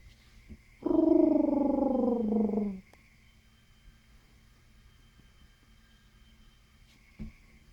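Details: A single guinea pig call lasting about two seconds: a rich, buzzy, pulsed tone that drifts lower toward the end, followed by near silence and a couple of soft clicks.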